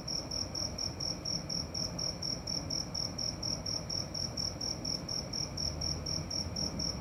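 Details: Cricket calling at night: a steady series of short, high, pulsed chirps, about two per second, with a faint low rumble beneath.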